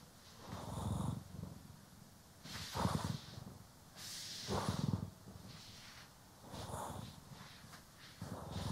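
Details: Grooming session with domestic cats Poki and Kiwi, stereo recording: soft low purring pulses recurring about every two seconds, partly masked by louder scratchy brushing strokes that cut through the rumble.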